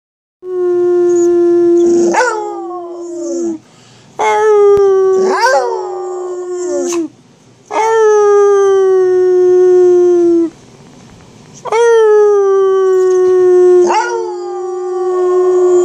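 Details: Angus, a pet dog, howling with a little human help: four long, steady, tonal howls of two to three seconds each, with rich harmonics. Some howls start with a sharp rising yelp and then glide slightly downward. Short quiet gaps separate them.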